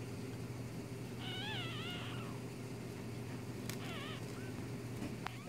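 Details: Newborn kit fox pups, one day old, utter high, quavering, mew-like squeals that bend up and down in two short bouts. A constant low mechanical hum runs beneath, with a faint click between bouts.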